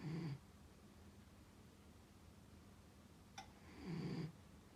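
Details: Rescued dog asleep indoors, snoring: two low, rumbling breaths nearly four seconds apart, with a faint click between them and a steady quiet hum behind.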